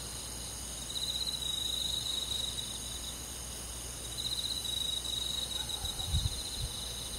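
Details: Countryside crickets singing on a midsummer night, their high shimmering trills rising in two bursts, near the first and the fourth seconds, above a constant insect hiss, with a brief low thump near the end.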